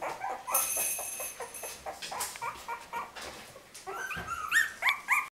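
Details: Puppies of Winny's litter crying in quick, repeated squeaky yelps and whines, dense at first amid scraping noise, then a few louder rising squeals before the sound cuts off.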